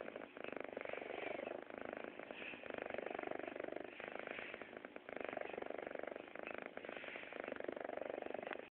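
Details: Purring from Dashi, a pet kitten: a constant buzzy rumble made of rapid pulses, swelling and easing in regular breathing cycles about every second or two, recorded close up.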